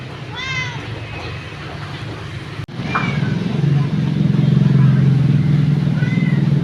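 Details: Orphaned cat outside a house giving three short arched meows, a clear one near the start and fainter ones around the third and sixth seconds, while a loud, steady low engine rumble builds and dominates the second half.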